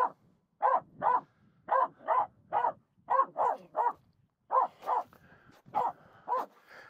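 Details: Finnish Spitz Aamu barks steadily at two reindeer near the snow crossing on Mulen; a long series of evenly spaced, punchy barks, roughly two per second, with a faint hum in the background.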